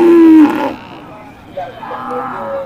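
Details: Cattle at the busy Masbagik traditional animal market in East Lombok, Indonesia, where local and imported breeds are traded: one loud, steady, low moo of about half a second, then market chatter and voices.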